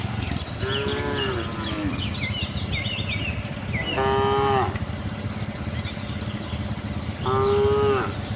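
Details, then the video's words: Friendly tame cows wandering a cattle farm for fresh grass: three rich moos spaced about three seconds apart, the last two firm and level, with twittering birds and a constant low background drone. "cute tame herd of cows - looking for grass, cow mooing sound"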